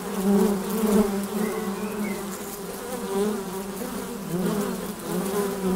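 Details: Honey bees at the hive entrance, a constant low droning hum with louder swells as single bees fly past close by.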